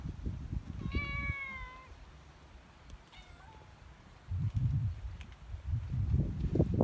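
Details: Outdoor cat beside a guesthouse on Sanagi Island's cat island in Kagawa, Japan, producing a clear, drawn-out, slightly falling meow followed two seconds later by a shorter one, with low rumbling handling noise before and after.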